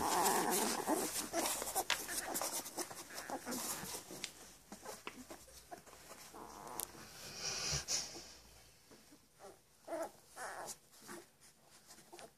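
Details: Labrador Retriever pups in Uruguay, only ten days old and close to opening their eyes, which just nurse and sleep; thin whimpers and squeaky whines open the recording, then quieter snuffling, sucking and rustling sounds.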